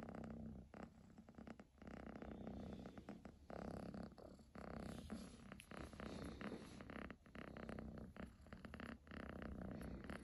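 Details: Pet kitten purring loudly and continuously, a deep vibrating rumble with regular breathing pulses and brief pauses between inhalations and exhalations, close to the microphone.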